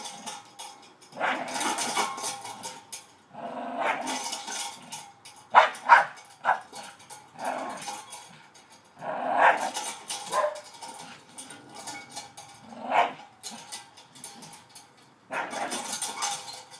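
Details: Staffordshire Bull Terrier male at play on a new spring pole received for Christmas, with short gruff barks and growls in irregular clusters separated by quieter gaps, and some clattering sounds.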